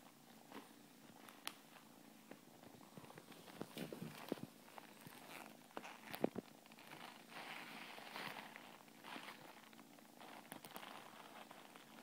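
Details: Scottish Fold cat. Low, even purring runs through the whole stretch from a Scottish Fold cat, a rough buzzing rumble. Occasional soft taps and rustling handling noises sit on top of it in a quiet room.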